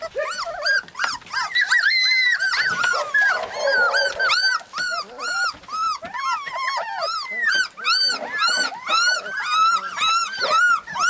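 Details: Lapland husky puppies crying together, dense strings of shrill arched whines and yelps repeated about twice a second, several pups overlapping at different pitches.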